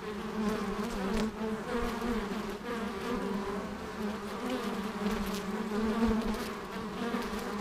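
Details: Honey bees working at an apiary, a steady continuous hum with a low droning band and overtones, the swarm's buzz rising and falling slightly throughout, no other clear sounds.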